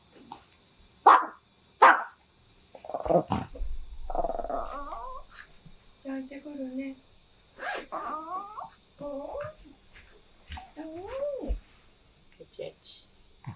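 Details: Chihuahua at home sadly watching its owner leave, giving high wavering whines and whimpers that rise and fall, after a few sharp knocks and a woman's voice saying goodbye.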